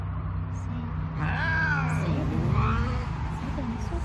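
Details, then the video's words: Big adult Savannah cats reacting to kittens: a single drawn-out meow rises and then falls over about two seconds, above a steady low hum and faint background noise. "Big Savannah cats ATTITUDE to kittens"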